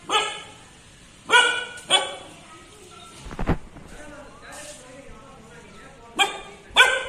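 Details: Three-month-old Kombai puppy barking while on guard: two sharp barks early, a thud and a quieter stretch, then two more barks at the close.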